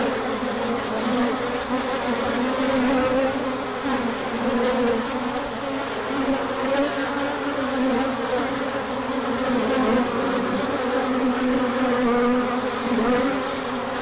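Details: Honeybees on a large orientation flight, 24 March 2024, pouring out when the sun appears after colder weather, pollen coming in. A dense, steady swarm hum with wavering buzzy tones drifting up and down, continuous throughout.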